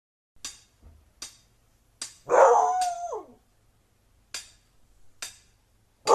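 A Siberian husky gives a brief, wavering howl-like whine that bends downward in pitch, between sharp clicks.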